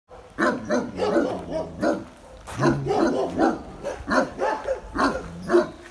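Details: Benno, a dog said by a previous owner to be a Landseer, in the Biberach animal shelter, barks anxiously at an unfamiliar person: a rapid series of deep, harsh barks in bursts with short pauses.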